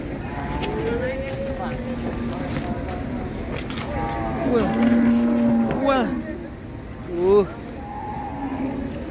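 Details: Sacrificial cow rampaging while coming off a truck at Siyono Harjo market: one drawn-out, level low moo of about a second midway, amid steady crowd chatter, men's voices and vehicle rumble.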